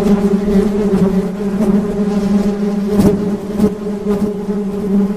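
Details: Steady droning buzz of honey bees, a low hum with layered overtones that persists throughout, broken by a few sharp taps or clicks.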